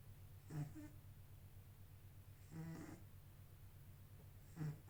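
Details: Sleeping kitten snoring softly indoors: three breathy, rasping bursts about two seconds apart, each a short low snore with a faint airy hiss, over a steady low hum.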